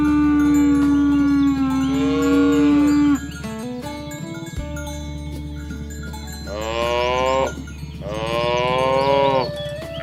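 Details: Cattle herd pushed along to the farm pen across a rice-field ditch in village countryside; a long low moo opens, followed after a lull by two rising, bright moos, with steady ringing tones throughout.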